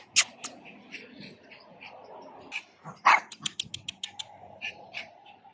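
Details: Pomeranian dog: a few sharp, high yaps scattered over a quiet background, then a quick run of about eight short yips around the middle, followed by softer scattered sounds.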